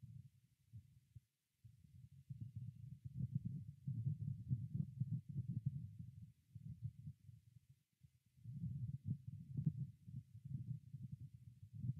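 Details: Low, muffled rumbling and thumping handling noise fills the recording, with no animal calls audible.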